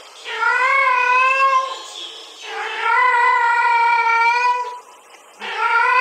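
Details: A male domestic cat gives long, drawn-out yowling meows in reaction to a played sound of a female cat's mating call.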